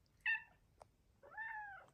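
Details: Female Bengal cat indoors chirping and meowing at her owner while being offered pets: a short bright chirp, a soft tick, then a longer arched meow that rises and falls, with faint room noise.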